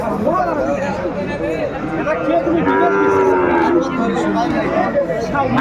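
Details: Long, level moo from cattle at a Bangladeshi cattle market in Comilla, 12 February 2025, amid the sale of a Sahiwal bull. Shorter low calls come before it, and crowd chatter runs throughout.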